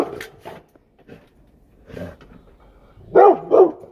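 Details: A Rottweiler barking at a deer gives two deep, loud barks in quick succession after some quieter sounds.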